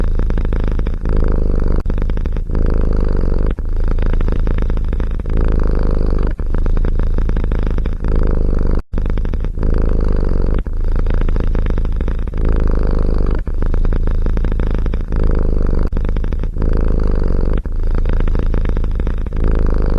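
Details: A cat purrs close up, a deep, rumbling, throbbing drone in long stretches broken by brief pauses roughly every second, continuing steadily throughout.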